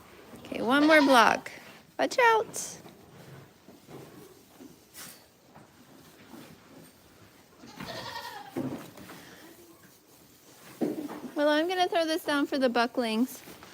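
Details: A goat farm's herd heard through steady background hiss: a strong wavering bleat opens, a few brief calls follow, then a long trembling bleat rises near the end.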